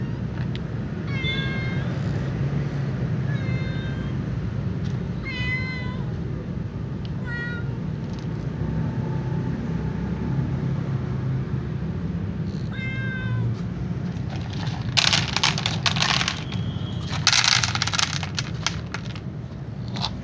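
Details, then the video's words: White cat meowing before eating alongside a ginger cat and a black cat; five short meows spaced about two seconds apart over steady low rumbling background noise, then clattering and rustling sounds. "white cat meows and then eats"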